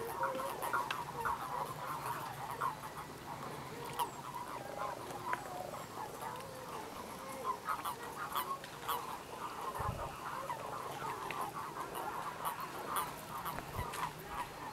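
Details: A dense pond chorus of mating common toads (Bufo bufo), giving soft, quacking calls that overlap continuously as smaller males clasp females, often in groups.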